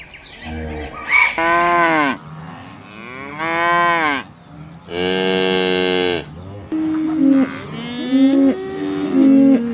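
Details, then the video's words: Cattle mooing repeatedly: loud drawn-out bellows about every two seconds, arching in pitch, one strained and high, followed by shorter lowing calls at the end. "funny cow sounds"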